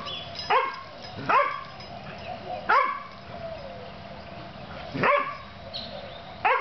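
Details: Two puppies playing: sharp, high-pitched yapping barks, roughly one every second or so with irregular gaps, over a steady low hum.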